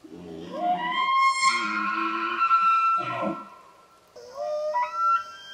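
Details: Elk during the rut, in Pennsylvania or the Canadian Rockies, giving a low grunting start that rises into a long, clear high whistle, followed by throaty grunts and a second upward-sliding whistled note.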